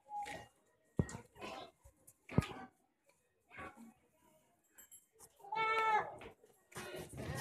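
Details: Jamnapari goat giving one clear, tonal, wavering bleat near the end, preceded by scattered knocks, rustles and brief voices.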